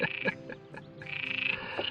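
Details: A frog at a pond watering hole at Cabranosa, Sagres, Portugal, on a fine morning of 28 April 2020 croaks in rapid, rattling pulses, a few short harsh bursts before a longer buzzy trill; it stays unfazed as a cirl bunting bathes beside it.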